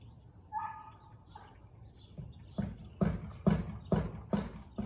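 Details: Siberian Husky barking on 13 March 2021 at 4:17 pm: a short whining tone, then a run of six sharp barks about every half second, growing louder toward the end.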